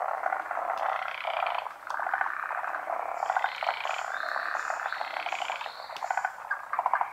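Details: Forest green tree frogs, a species endemic to Japan, calling during midday spawning in the rainy season. Many overlapping rattling, pulsed croaks form a dense chorus, with brief higher tonal notes above.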